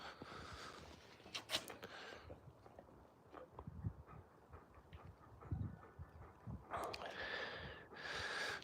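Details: Alaskan Malamutes Moose and Raven playing outside; rough, breathy panting bursts near the start and again toward the end, with low thumps and rustling between.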